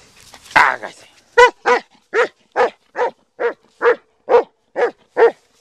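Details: Black German Shepherd dog barking in a steady series: eleven sharp, resonant barks spaced about every half second after a brief burst of human voice at the start, with quiet between barks.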